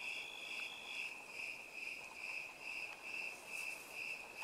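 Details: Orchard cricket chorus among plum, apple and ponderosa pine trees: evenly spaced high chirps roughly twice a second, rhythmic and bright over faint background hiss.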